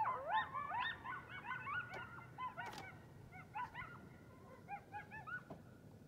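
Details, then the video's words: A band of coyotes howling at night outside a house: several wavering, sliding howls and quavering yips overlap, bursting loud at first, then dropping into quieter broken yips with pauses between them. "A Band of Coyotes Howling"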